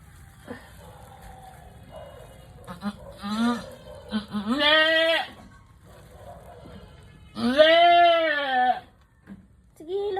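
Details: Doe goat in a hard labour bleats repeatedly: short broken cries build into a strained, quavering bleat, then after a pause a second long, loud, wavering one, while people talk and urge the birth on in Filipino.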